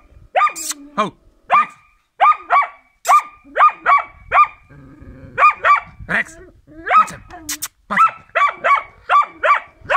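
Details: Karelian Bear Dog in training, barking repeatedly in bursts of sharp, high yelping barks, often in close pairs or triplets, with short pauses, a low growly rumble in the middle and occasional clicks.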